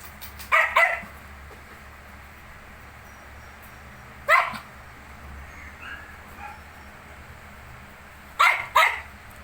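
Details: Shih Tzu with its 19-day-old puppies: three short bursts of sharp barking, each a quick double or triple bark, separated by roughly four seconds of quiet with faint room hum and a few soft high squeaks.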